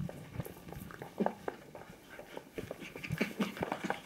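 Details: Kooikerhondje puppies, five weeks old, from the litter of Quita, playing together indoors; short high squeaky yips and whines pop up irregularly over a background of low grumbles and shuffling movement.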